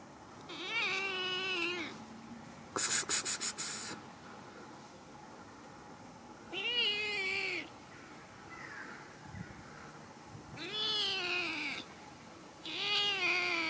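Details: Hungry kitten without food meowing: four drawn-out, wavering harmonic meows, rising then falling, spaced a few seconds apart, with a short burst of sharp clicking rattles between the first two.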